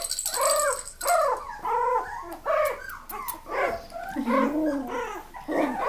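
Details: Miniature Australian Labradoodles whimper in steady, arching cries that rise and fall roughly once a second. The pleading whines sometimes overlap and continue without a break for the whole stretch.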